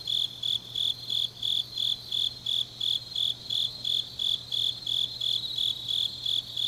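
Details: Grass insects singing on a deep autumn night in Changnyeong, South Gyeongsang, Korea: high, pulsed chirps about three per second in a steady, even rhythm, with a faint constant low hum underneath.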